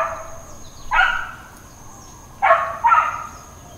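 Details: Intermittent dog barking at Hawaiian Paradise Park, Hawaii, on September 2, 2024: a single loud bark, a pause of about a second and a half, then a pair of sharp barks close together.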